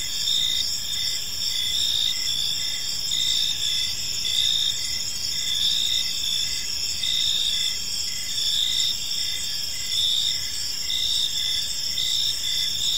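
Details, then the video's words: Crickets chirping in an evening park: layered high, ringing trills and regular pulsed chirps under a minute's steady rhythm, several callers blending, with only faint low background noise. "Park Serenade: Cricket Sounds in a Peaceful Park | Evening Ambience"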